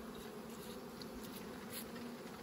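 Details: Honey harvest with bees humming continuously, an even low drone and a softer upper tone, with a hissy background and a few light clicks.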